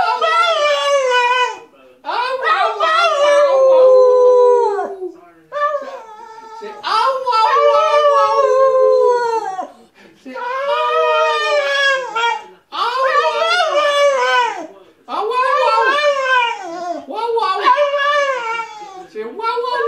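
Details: Singing Staffordshire Bull Terrier giving its whah whah song: repeated drawn-out howls, roughly thirteen a minute, each wavering and curving downward, with brief pauses between phrases.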